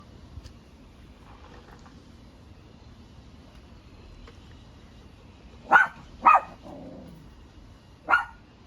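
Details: Dog at a dog playground café in Paldang, Namyangju, during a weekend outing: after a quiet stretch with faint background murmur, three sharp, bright barks ring out, two close together then one more about two seconds later.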